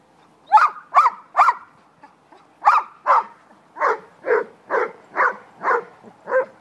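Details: Puppies at play giving a quick series of high, sharp yips and barks, a dozen or so in about six seconds, coming in uneven bursts with short pauses.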